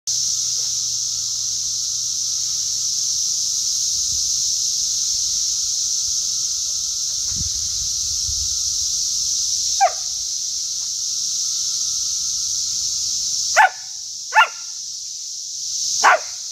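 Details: A cicada chorus, recorded in 2021, holds one unbroken, shrill, high, hissing buzz from start to finish; toward the end a few quick, downward-sliding whistled notes cut briefly through the drone.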